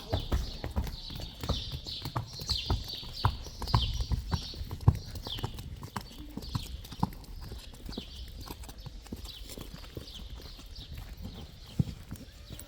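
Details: Friesian horses, including foals and colts, some foals with the wrong mothers, moving about: a steady run of irregular thudding clip-clop hoofbeats, several per second, over a faint high hiss.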